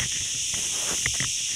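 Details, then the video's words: Continuous high, hissing insect chorus of crickets in forest beside the Ghafsai road, Taounate province; the even shrill buzz never pauses, and several brief knocks or taps sound near the end. "طريق غفساي الغابة واصوات الصراصير"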